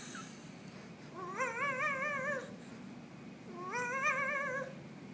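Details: Pet kitty indoors, a Halloween cat, giving two long wavering meows about two seconds apart, each with a slightly trembling, drawn-out tone, in a quiet room.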